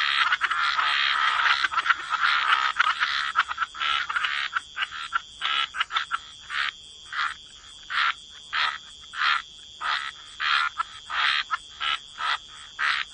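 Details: Waterside frogs in chorus. Dense overlapping croaking opens the stretch, then it thins into separate rasping croaks spaced about every half second, against a continuous faint high whine.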